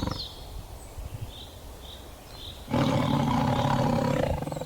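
A tiger lets out one deep, rasping roar lasting about a second and a half, after a quiet start with faint high chirps in the background.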